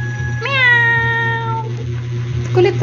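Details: Domestic cat meowing indoors while trying to catch a dragonfly on the ceiling: one drawn-out, clear meow that rises then slowly falls, followed by a brief human voice.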